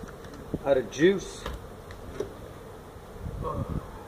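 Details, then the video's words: Honey bees from a feral hive built inside a tractor tire, in a stack of tires at a citrus orchard in Mission, Texas, disturbed during hive removal; a steady low droning hum, with short bursts of human voices early on. "Honey Bee hive removal in a tractor tire"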